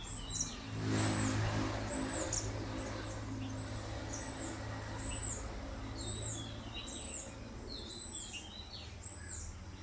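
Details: High, slurred squeaks from an orphaned baby squirrel separated from its mother, now caged after being found crying by a roadside, coming in short repeated bursts among scattered bird chirps and a constant low hum.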